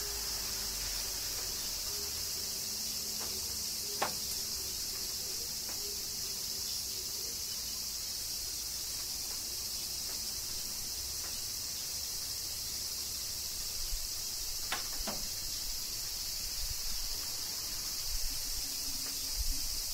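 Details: Cicadas singing during summer rain in Kyoto, Japan: a dense, unbroken high-pitched hiss fills the air, with faint low tonal hums through the first half and a few sharp taps like raindrops.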